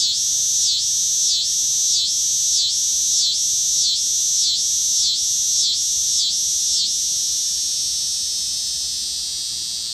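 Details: Mating call of a lone dog-day cicada perched on a deck umbrella in Lawrence, Kansas, one August 2015 afternoon: a loud, shrill electric buzz pulsing in regular swells about every 0.6 seconds, then merging into a steady, fading whine.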